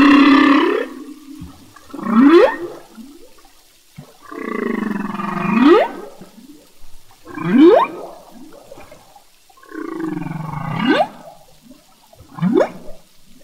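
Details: Underwater in the Revillagigedo Archipelago Marine Reserve, a male humpback whale sings: groaning, moaning units that sweep sharply upward, repeated every few seconds.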